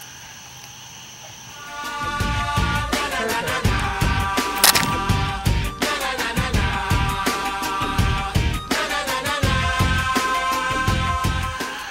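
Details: Music plays throughout with steady rhythmic beats and sustained tones after a quiet start; no animal sound is heard.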